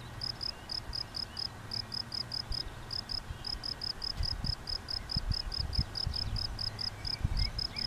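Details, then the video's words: A field cricket at de Stulp sings a steady run of shrill, pulsed chirps, about four each second. "Veldkrekel op de Stulp"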